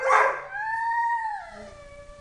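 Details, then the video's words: Tyson, a three-year-old Dobermann kept with three other dogs, yodels in happy, dramatic bursts: a loud rough onset, then a smooth, drawn-out tone that holds steady, slowly falls and fades within about two seconds. "Tyson yodels"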